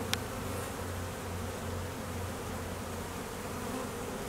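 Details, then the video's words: Busy honey bees at an apiary during peak summer nectar flow, foragers active and drones flying at midday; a continuous thick buzz with a low pulsing drone beneath and a brief tap at the start. "Honey bees working hard in high nectar flow"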